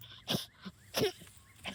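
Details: Excited mole-hunting dog in a backyard giving goose-like honks: three short, harsh snorting bursts, roughly two-thirds of a second apart.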